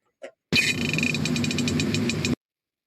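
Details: A Pacific herring, a fish of cold northern waters, farts underwater, releasing gas in a raspy, crackling burst that breaks into rapid ticks near its end.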